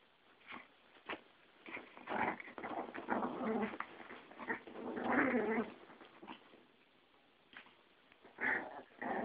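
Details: Two dogs, a Yorkie and a Pomeranian, going at it: uneven, scrappy growls and snarls rise and fall in short, irregular bursts, with quieter gaps and a few sharp yelps between.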